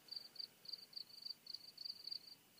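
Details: Crickets sing on a mountain at dusk during a night walk, a clear, high, pure-toned chirping in short pulsed bursts repeated several times a second.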